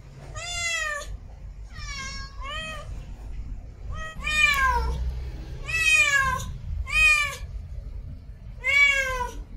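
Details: Female domestic cat in heat calling to mate: a run of seven loud, harmonic meows, some short and paired, others long and sliding downward, over a steady low hum.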